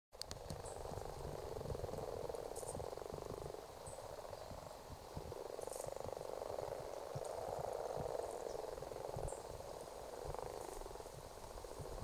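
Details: A congregation of common frogs breeding in a ditch in Argyll in February 2018. Their chorus is a continuous low purring croak from many overlapping callers, swelling and easing in waves, with faint sharp clicks above.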